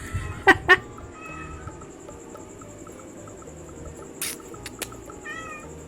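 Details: Domestic cats in a struggle over fish: two short, sharp meows in quick succession near the start, then faint mewing, a few clicks and a low background hum.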